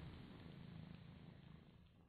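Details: Domestic kitten purring, one of two kittens that treat each other as mother, while its fur is being licked; a steady low rumble runs throughout over faint indoor room noise.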